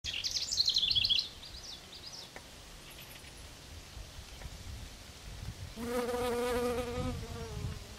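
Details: A honey bee's steady, low droning buzz passes close at clover, after a burst of high bird chirps; Rydell NWR, Minnesota, 23 June 2009.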